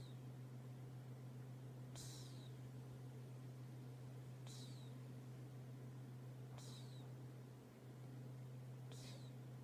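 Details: A cat snores in its sleep, giving four soft descending wheezy whistles roughly every two to two and a half seconds, with a persistent low mechanical hum in the background.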